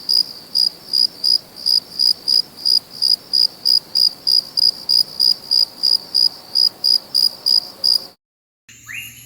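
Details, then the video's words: Crickets at night in a natural chorus; high, regular chirps about three per second for eight seconds, then an abrupt cut to near silence and a brief different sound. "Sounds of Cricket | Relaxing Sounds of Crickets"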